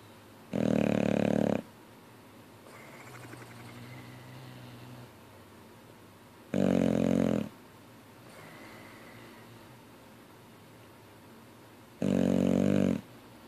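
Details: Boxer dog asleep, snoring with jaws flapping: a loud rasping snort about every six seconds, with softer fluttering exhales between them, indoors.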